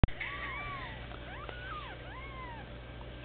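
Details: Bald Sphynx kittens one week old, mewing in a litter: a few thin, arching mews with rising then falling pitch, partly overlapping, over a low steady hum.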